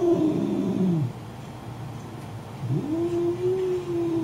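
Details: Domestic cat reacting while watching an angry cat on a computer: two low, drawn-out moaning yowls, the first wavering then falling, the second rising and held level after a pause of over a second.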